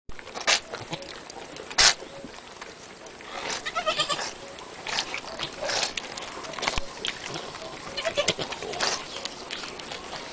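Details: Newborn Angora goat kids bleating: high, quavering cries with a clear wavering tone in the middle of the recording, amid repeated short bursts of broadband noise and a steady background hiss.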